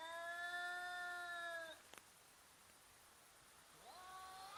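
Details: Cats intimidating and fighting each other, filmed in slow motion. A long, steady, tonal yowl is held for nearly two seconds and then breaks off with a click. After a quiet pause, a second wail begins, rising in pitch.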